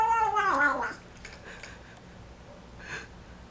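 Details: Kitten of the folded-ear American Shorthair type, kept indoors in Taiwan, giving a loud, strained, wobbling cry while eating its first meal after arriving home, followed by quiet chewing clicks and a faint later squeak.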